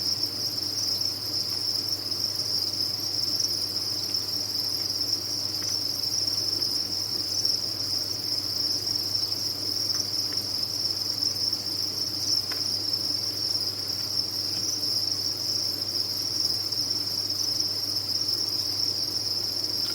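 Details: Dense chorus from a cricket farm: countless captive crickets merge into an unbroken, piercing high trill held at an even loudness, with a soft low hum and a few faint clicks.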